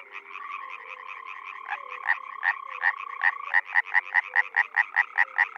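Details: Spring frog chorus from a Czech pond or wetland; one nearby frog starts slowly, then its loud rasping croaks speed up to a rapid, even series of about five per second over quieter calling frogs.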